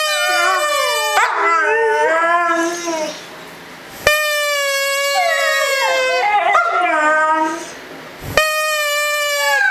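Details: Siberian Husky, one year old, howling in competition with a German Shepherd in reply to a whistle; drawn-out tonal howls that waver and slide downward, overlapping voices, repeated in three long bouts.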